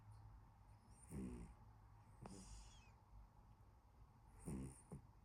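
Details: Sleeping house cat snoring, with three distinct raspy breaths. Each one has a fluttering, rattling texture. Quiet intervals between them hold only a faint low room hum.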